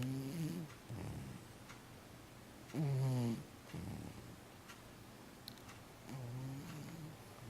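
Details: Domestic cat snoring while asleep indoors: low, rough breaths with a harmonic buzz, some stronger than others, repeated roughly every one to two seconds, with short quiet gaps between breaths.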